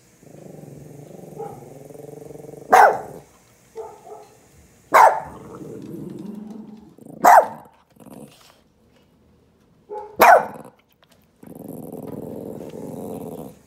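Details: A pet puppy reacts to a recorded dog barking: four sharp, loud single barks come roughly every two to three seconds, separated by low rumbling, growl-like sounds and quieter stretches.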